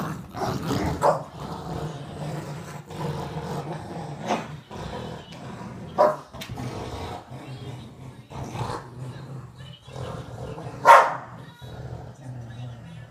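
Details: Boston Terrier and Whippet mix dog at tug-of-war, low rumbling growls broken by sharp scuffling bursts and one loud snort-like hit near the end.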